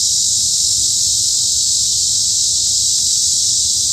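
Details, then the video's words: Forest cicadas at Hanbat Arboretum in Daejeon, Korea, in high summer, droning in one loud, unbroken, sizzling high buzz with no pauses, over soft low-frequency background noise. "한여름 숲속 매미소리"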